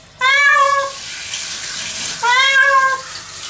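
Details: Domestic cat named Nora crying in protest while being washed in the shower; two loud, drawn-out meows about two seconds apart, each lasting under a second, with running shower water hissing steadily in the background.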